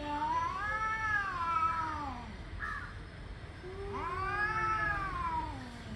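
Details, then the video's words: Male cats angrily yowling before a fight: two long, drawn-out moaning howls that swell and sag in pitch, separated by a short pause. "Angry male cats warming up for fighting"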